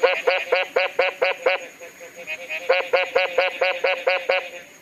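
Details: A Mexican tree frog (Smilisca baudinii) calls in rapid bursts of short, nasal, honking notes, about four per second.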